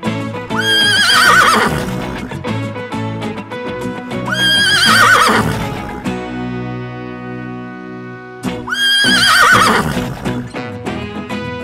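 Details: Horse neighing three times, about every four seconds. Each whinny is a shrill, quavering cry that falls in pitch, heard over steady background music.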